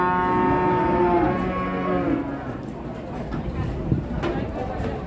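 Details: Cattle at a busy market, with jumbo and local cows present; a long drawn-out lowing moo fills the first two seconds and then fades into crowd noise, knocks and faint music.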